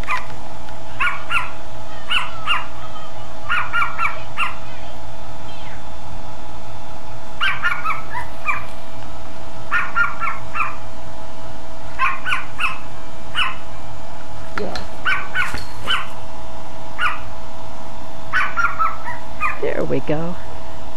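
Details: In daylight, one of a household's two small dogs, the suspected nighttime barkers, yaps indoors in quick bursts of three or four sharp, high barks, repeated every couple of seconds.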